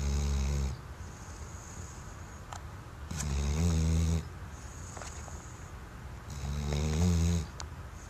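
A Weimaraner snores deeply, each low rumbling breath lasting about a second and repeating every few seconds.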